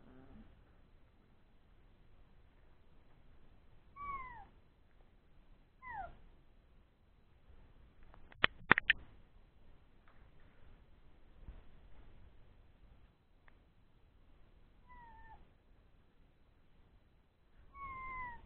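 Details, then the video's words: Old English Sheepdog puppies, born three weeks earlier, at play after feeding, giving thin descending whines at spaced intervals, with a brief clatter of knocks in the middle. "Old English Sheepdog puppies play time"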